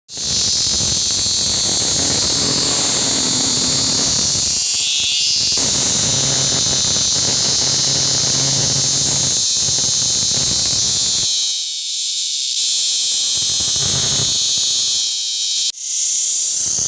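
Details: A caught male cicada gives a loud, continuous, hissing buzz from its vibrating abdominal tymbals that barely changes for the whole stretch.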